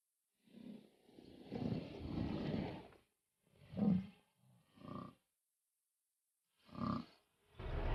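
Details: Wild lions in a combat-themed documentary: a long rough snarling roar of about two seconds, then a series of short, deep, growling grunts separated by brief pauses, with no other clear sounds.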